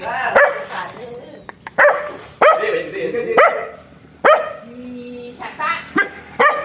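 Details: Black dog barking in short sharp bursts, five or six barks spread across the recording, with a person's voice and some background chatter between them.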